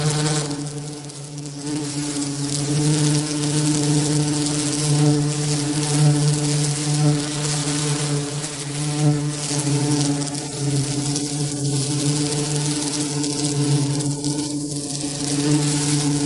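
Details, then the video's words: Real bee giving a continuous low buzz, a deep humming drone with layered overtones that holds steady, rising and easing gently in loudness, with faint higher tones flickering near the end. "Real bee buzzing sound"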